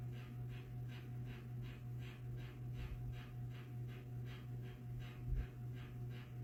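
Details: Tiny pet dog taking a Sunday nap, snoring loudly: rapid rhythmic breathy snorts roughly every 0.4 seconds, soft and even, over a steady low hum indoors.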